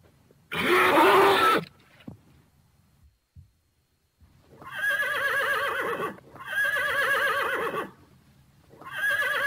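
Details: A Thoroughbred horse: one short rough burst, quiet gaps, then long tremulous whinnies with a fast quavering wobble, repeated in drawn-out phrases.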